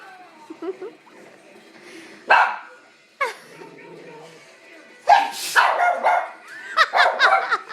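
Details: A dog gives a few sharp, loud barks at a man sneezing, between stretches of human talk and laughter.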